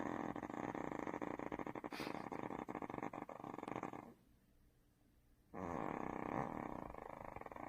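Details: Duhee, the household's second dog, snoring while asleep indoors: a fast rattling flutter of rough pulses, broken by a short quiet pause before the snore resumes louder.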